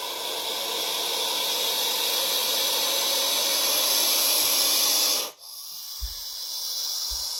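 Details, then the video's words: A captive rattlesnake, handled so it cannot bite, shakes its rattle in a steady, hissing high-pitched buzz for about five seconds, then stops suddenly, leaving a few soft low thumps. "Как звучит змея!"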